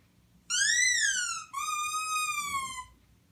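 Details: A puppy makes a strange sound: two high, clear whining notes, the first rising then falling away, the second long and gently descending, in a quiet room.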